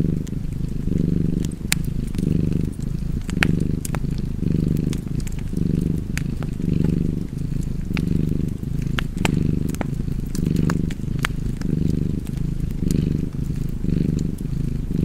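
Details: Domestic cat purring steadily beside a crackling fireplace, a low rumbling drone that swells and eases about once a second with each breath, while sharp pops and snaps of burning wood break through.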